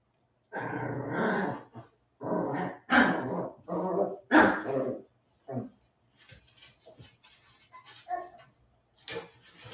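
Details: Westie puppies aged 47 days, back inside after time outdoors: gruff growls and short barks in uneven bursts over the first five seconds, then quieter scuffling, rustling and soft small noises toward the end.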